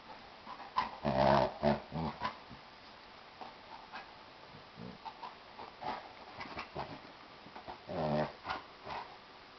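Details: A Jack Russell Terrier puppy and a large Chesapeake Bay Retriever playing together indoors: bursts of rough, throaty play growls and snarls, short yappy barks, and scuffling, with quieter pauses between the flurries.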